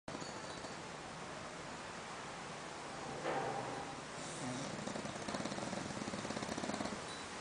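An English Bulldog snoring, a rough, rasping rumble over steady background hiss.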